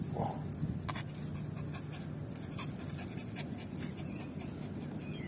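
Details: Yorkshire Terrier named Lucy, a pet dog playing fetch with a ball, breathing in quick, soft, breathy pants that run steadily over a low background rumble, with faint household noises.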